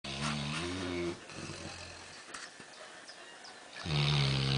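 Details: Black Labrador about 11 months old, asleep on a settee after a busy afternoon swimming: loud, rough, low snoring breaths at the start and end, with a quieter stretch in between.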